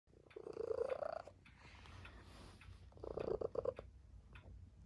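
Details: Tabby cat, a pet sleeping indoors with people: a soft rumbling purr in two bursts of about a second each, separated by a quieter pause.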